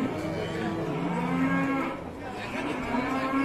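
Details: Fierce cow's low, sustained moaning moo, wavering slightly in pitch, half buried in dense background noise.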